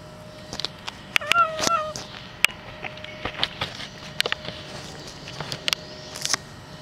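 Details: Friendly, playful black cat eating under a car before starting to play; one short, tonal meow with a slight downward bend near the start, surrounded by sharp clicks and light tapping throughout.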